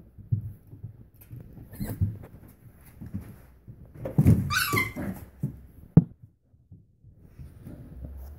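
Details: 30-day-old English Springer Spaniel puppies give soft grunts, squeaks and a brief high whine while playing indoors.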